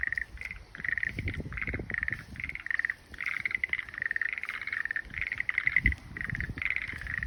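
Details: Frog chorus of rapid pulsed croaking notes, many overlapping bursts in quick succession, over a low rumble of background noise.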